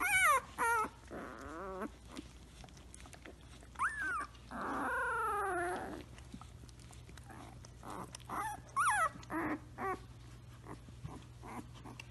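A Samoyed puppy makes high, wavering whines and yips, with one long drawn-out howling whine.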